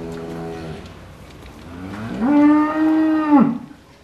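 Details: Cows mooing back and forth, as if talking to each other: a shorter low moo first, then a loud, long, slightly rising moo of about a second and a half that ends abruptly, both rich and drawn-out.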